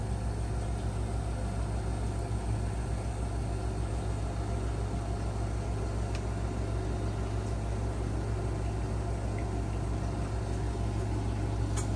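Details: Constant droning hum like an idling engine or appliance, with a high steady whine and a few faint ticks, and no animal calls.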